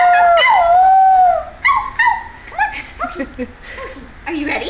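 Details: A white Pomeranian boy howls with his human companion: a long wavering howl dips and levels off, then breaks into a few shorter rising yelps and soft whimpering notes.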